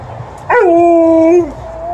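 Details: Female Alaskan Malamute, happy as she welcomes her owner home, gives a drawn-out tonal "woo": a sharp upward onset, then a level, clear, voice-like note lasting about a second that dips at the end, followed by a softer, fainter trailing tone.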